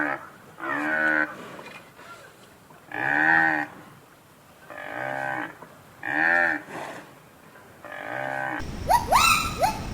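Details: Cow mooing five times in a row, each low harmonic moo lasting under a second with short pauses between, followed at the end by a sharp rising squeal from another sound.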